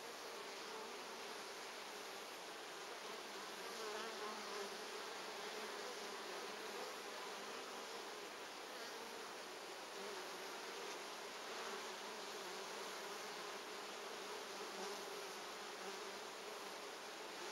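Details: Apiary scene on 14 August 2011 at hive number 3, with bees and pollen: honey bees produce a continuous thick humming buzz, swelling slightly at moments, with no other clear sounds.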